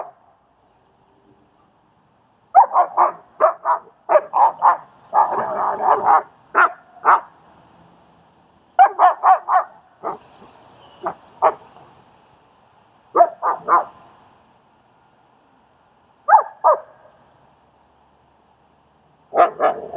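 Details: Strike, a German Shepherd, working with the nervous dog Leonidas at a training session in Queens, New York: repeated volleys of loud, harsh barks in clusters of four to eight, separated by brief pauses over twenty seconds.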